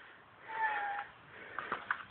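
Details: Female house cat at sunset, wanting to be let outside and then asking to be petted. One quiet, drawn-out meow holding a steady pitch before easing down, followed by a few soft clicks and taps, with a woman speaking nearby.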